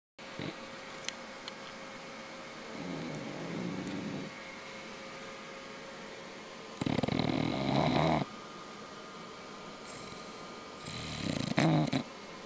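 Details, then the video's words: An English bulldog snoring while asleep indoors on a weekend: low rasping snore bursts of one to two seconds come at irregular gaps, one softer and two loud and rattling, over a steady faint hum. "English bulldog "Mister sleeping and snoring"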